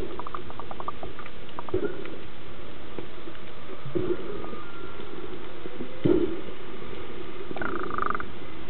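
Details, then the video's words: Whale song recorded underwater off Hawaii during a paddle sports tour: drawn-out moaning tones with rising and falling whistled sweeps, some pulsed grunts recurring roughly every two seconds, over steady underwater hiss and clicking. "Whales singing"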